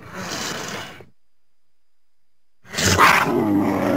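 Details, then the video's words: Mountain lion giving a harsh, breathy hiss, a pause, then a louder, rasping snarl that continues to the end. "Mountain lion sounds"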